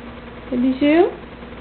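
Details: A domestic cat, rarely caught meowing, gives a low, two-part meow that slides upward at the end; the owner wonders if it is crying for food.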